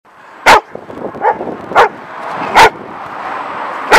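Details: Two German Shepherd dogs in a yard beside a street, barking at a passer-by. Sharp, loud single barks come roughly every second, with softer barks between them over a steadily rising background hum.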